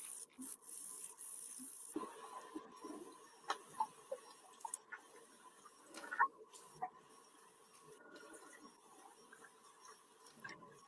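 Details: Sperm whale; echolocation clicks; echolocation to find food while diving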